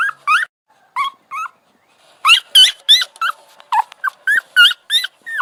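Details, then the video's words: Puppy whining in high, bent yelps: two short cries, a pause, then a fast run of about a dozen rising-and-falling whimpers, some with a wavering, strained edge. "Cute Puppy Sound Effect"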